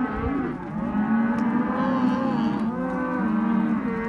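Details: Sale lot 8 of Hereford and Caretas calves, both sexes; overlapping, sustained moos drone continuously, with pitch bending up and down as several calves call at once.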